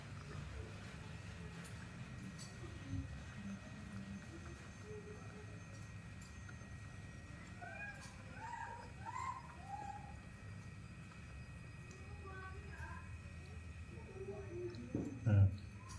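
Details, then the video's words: Rescued infant monkey Nomi in a tantrum, demanding milk: a run of short, bent, whistly squeals and whimpers in the middle stretch, then softer whines, against a constant low rumble with a sharp knock near the end. "baby monkey Nomi's tantrums are getting worse when she wants to drink milk"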